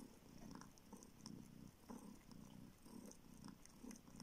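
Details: A small kitten rescued from the street and living in a village in the north of Siberia purrs as it suckles a finger hoping for milk; deep pulsing purr in repeated swells with light wet sucking noises.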